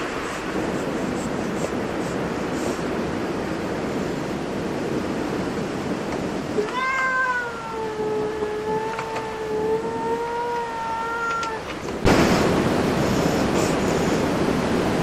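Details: Cat at a cat cafe giving one long, drawn-out meow lasting about five seconds, steady and slightly falling in pitch, over a constant hiss of background noise; a louder burst of noise begins after the meow ends.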